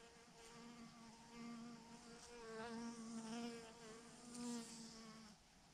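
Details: Bees by the thousands hang together on a branch and make a dense, even buzzing. It grows slightly louder in the middle, then trails off.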